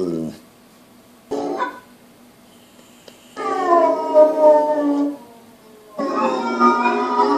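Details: Boo, a pit bull, gives drawn-out howls in separate bursts: a brief one at the start, another near one and a half seconds, then a long sinking wail and a final rising howl, with quiet gaps between.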